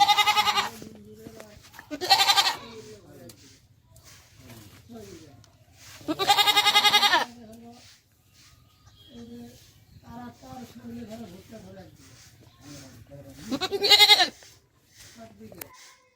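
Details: Beetal doe on a Haryana farm, India, shortly after giving birth, with her kid; four loud, nasal, wavering bleats spaced a few seconds apart, interspersed with men's conversation.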